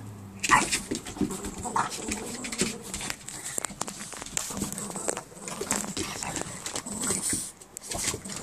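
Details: Two Boston Terriers play fighting on patio furniture, a rough stream of snorts, huffs and growly grunts with scuffling and panting throughout, one sharp louder yelp-like burst near the start.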